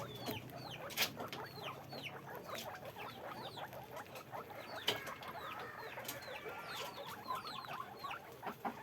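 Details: Guinea pigs in a farm cage, a crowd squeaking: many brief downward-curving squeaks overlapping, interspersed with sharp clicks and pattering knocks, steady background noise.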